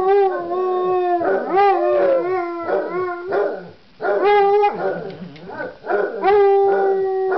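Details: Basset hounds Floyd and Fred baying together, long sustained harmonic howls with wavering pitch overlapping one another, broken by a brief pause, then resuming in drawn-out, mournful tones.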